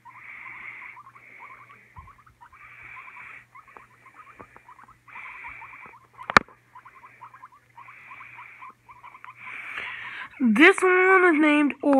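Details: Pet guinea pig, one of two kept together, one afraid of the other after fights; short bursts of rapid chattering squeaks about every second, ending in loud harmonic squeals that rise and fall.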